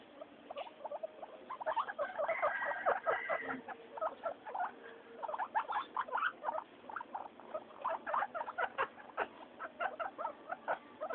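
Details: Three pet guinea pigs, Mayumi, Archie and Miyuki, noisy during floor time: dense rapid chattering pulses with short squeaky notes and a few held tonal squeals, busy and continuous throughout.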